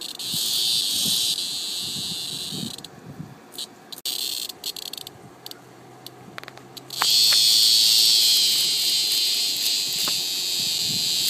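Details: Cicada heard up in a tree while being eaten alive by a praying mantis, giving a loud, harsh, high buzzing scream that cuts out and restarts, ending in a sustained strident drone.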